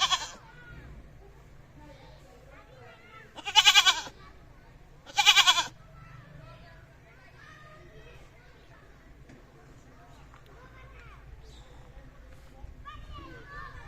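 A goat gives loud, wavering bleats, two in close succession after a brief opening cry.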